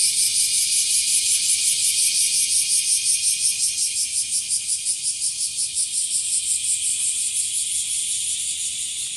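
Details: A bear cicada sings a loud, harsh, high buzzing song that throbs in quick regular pulses, as the species grows more numerous, calling from trees and also from grassy spots.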